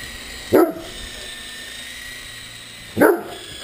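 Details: Two deep, booming barks about two and a half seconds apart from a Great Dane at play with a remote-control helicopter, whose constant high whine fills the background.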